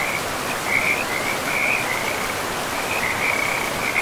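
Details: Forest river with frogs: bursts of high, rattling trills come in uneven clusters, with short gaps between groups, over a constant broad hiss of running water.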